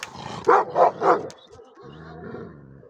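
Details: Angry shepherd dog barking: three loud, harsh barks in quick succession, about a third of a second apart, followed by quieter music underneath.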